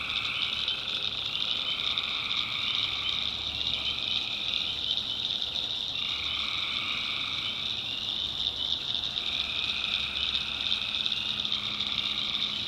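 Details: Nighttime chorus of tree frogs in North Carolina backwoods swamp; many overlapping trills form a continuous high shimmering wall of sound, a middle trill layer dropping out and returning every few seconds, no other clear sounds.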